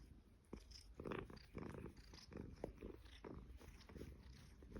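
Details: Somali cat indoors in an apartment on Caoyang Road, Shanghai, recorded 16 May 2016; low rumbling purr with irregular soft clicks and chewing-like noises over a steady low hum.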